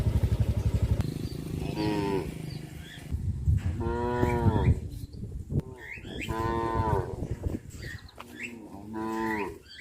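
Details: A herd of cows walking back to a traditional livestock pen give several long, deep moos that rise and fall, with low rumbling and shuffling between calls.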